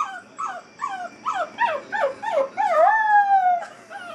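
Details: Eight-week-old Basset Hound puppy Molly, crated for the first time, lets out a few short, descending yelps that build into a long, smooth, drawn-out howl before trailing off.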